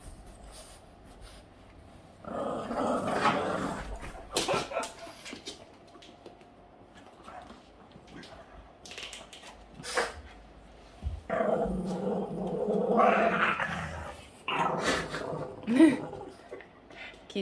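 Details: Boston Terrier named Yoda growling while playing indoors; rough, throaty growling bursts around two to four seconds and again from eleven to sixteen seconds, with quieter pauses between and a person speaking softly.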